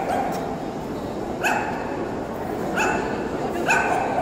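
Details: Tibetan Terrier at the Euro Dog Show 2018, indoors: three sharp single barks, about a second or so apart, rise over a steady roar of crowd chatter in a large echoing hall.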